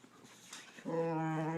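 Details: Boxer dog producing a loud, sustained, steady-pitched vocal whine with rich harmonics, starting abruptly after a short quiet stretch of faint rustling and holding level to the end in a small indoor room.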